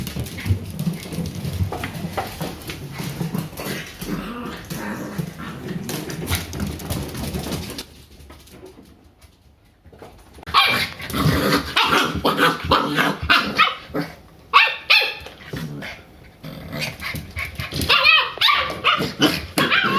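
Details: Two three-month-old Shiba Inu puppies, Ren and Rin, wrestling indoors; scuffling and thumping with short high yips and whimpers, a quiet pause midway, then bursts of rough play noise.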